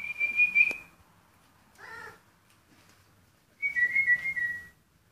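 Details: Rhodesian Ridgeback puppies, a purebred litter born 14 February 2016, give a high sustained whine, then a brief harmonic yelp, then a wavering whine that drops slightly at its end.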